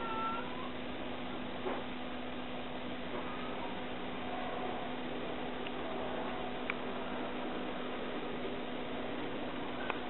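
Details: Mother cat Kuro meows while looking for her missing kittens: one clear, falling meow opens the recording, followed by fainter calls and a few sharp clicks over a constant low-pitched hum.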